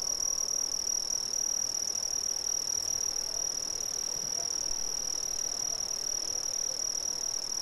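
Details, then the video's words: Crickets from Brazil producing a continuous high, shrill ringing trill with a fainter, even higher overtone, unbroken throughout, over a soft hiss of background noise. "Brazilian Crickets"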